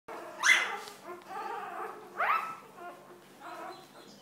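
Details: Newborn Golden Retriever puppies on their fourth day after birth, giving high squeaky squeals that rise sharply, two louder cries about two seconds apart among softer whimpers.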